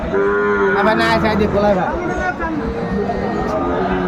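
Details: Sahiwal bulls and calves at Aftabganj cattle market in Dinajpur, Bangladesh, on 1 February 2025; harmonic lowing moos rise and fall over steady crowd chatter and bargaining voices throughout.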